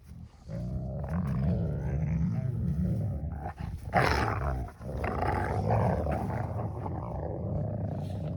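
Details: Two wolfdog puppies wrestle and jaw-spar in normal rough play, burning off energy, with steady low rumbling growls and snarls broken by brief sharper bursts.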